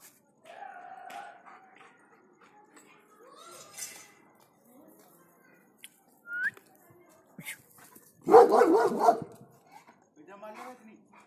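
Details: German Shepherd, described as very protective and aggressive, guarding a lawn: a burst of loud, harsh barks near the eighth second after quieter whines and scattered sounds, with a voice speaking afterward.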